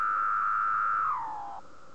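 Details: Cicada song recorded at night, 3 am, on a moth sheet; males vibrate tymbals to produce it. A short, level, loud tone glides smoothly downward in pitch, then settles into a quieter, steady hum.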